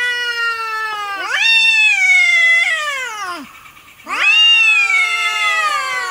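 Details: Domestic cat giving loud, drawn-out meows: two long, rising-then-falling harmonic cries separated by a short gap, clear and close, from a compilation of cats and kittens meowing.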